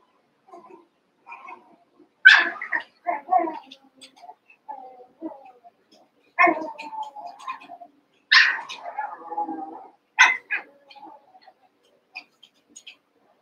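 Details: Cavalier King Charles Spaniel puppies, Daisy's six joined with Robin's two, at play; irregular high yelps roughly every two seconds, mixed with murmuring whines and little squeaky grumbles.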